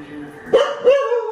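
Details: A dog barks at a painting of a dog shown on TV: two short, sharp barks with a harmonic, slightly rising tone, the second drawn out, over faint background sound.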